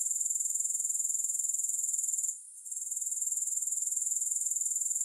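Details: Grasshopper sound with no music, a continuous thin high trill of rapid regular pulses that breaks off briefly midway, then resumes at the same level.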